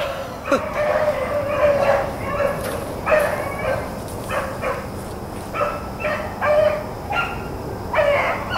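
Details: Rabbit-running hounds, Blackcreeks and Blueticks, April 4, 2013, bay in scattered, separated bawls, some long and howled, others short, arriving every second or so, with quiet gaps and low background hum between.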